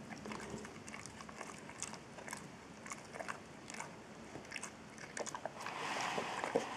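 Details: Trulsa, an eight-year-old Boxer, eating a Purina DentaLife dental treat indoors: rapid, irregular crunching and biting clicks, several per second, rising into a louder, noisier patch near the end.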